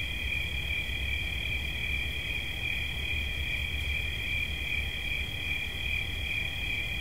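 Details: Cricket giving a steady, shrill, high-pitched trill that barely changes. A second, slightly higher tone runs alongside it, over a low rumble of background noise.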